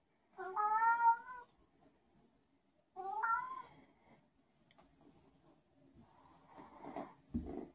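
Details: Special needs house cat Zebedee wanders indoors calling out for no reason: two loud, drawn meows with rich harmonics, the second starting with a sharp upward sweep, followed by rustling and a couple of soft knocks.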